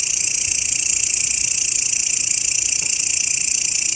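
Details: Short grasshopper passage used as songbird master sound: an intense high-pitched buzzing trill, evenly pulsed about three times per second, with nothing else audible.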